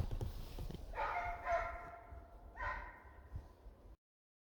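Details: Russian hounds on a winter hare hunt in Vologda region in 2022 bay on the hare's trail, with drawn-out, falling yelps carrying from a distance.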